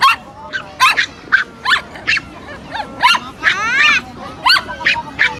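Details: Pomeranian meeting a new friend, giving a rapid series of high, sharp yips and barks about every half second, some with rising and falling whining tones mixed in, in a quiet indoor setting.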